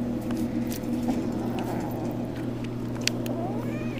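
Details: A female dog growls low and steadily indoors, a continuous rumbling warning while guarding a rabbit's foot she grabbed; she growls when anyone tries to touch her or take it.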